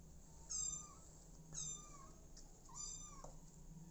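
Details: Four motherless kittens living with an adoptive mother cat; three high, thin meows at roughly one-second intervals, each bending downward and rich in overtones, over a steady low indoor hum.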